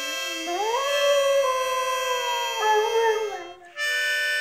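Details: A German Shorthaired Pointer, which likes to howl with the harmonica, howls along in long, sliding, wavering notes over steady harmonica tones.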